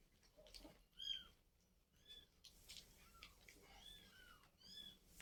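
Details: A household scene where a mother cat has carried her kittens elsewhere; high, bent mewing calls, each rising then falling, come every second or so against a quiet, slightly noisy room.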